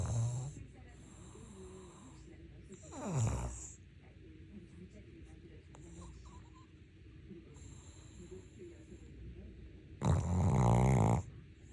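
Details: A dozing Maltese-Shih Tzu cross, Ttuttu, snores twice: a short, rising rasp, then after a long quiet gap a louder, sustained, rattling breath near the end. A faint snore opens the clip.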